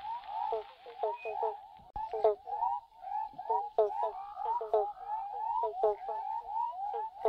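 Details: A chorus of Western Spotted Frogs (Heleioporus albopunctatus) in south-east Western Australia calls for mates from underground burrows, giving short, hollow, mid-pitched calls that overlap quickly.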